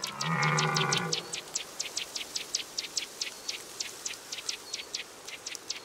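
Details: Red deer bellowing during the October rut: one low, hoarse, harmonic roar lasting about a second, followed by quick, high, clicking ticks repeated steadily in the background.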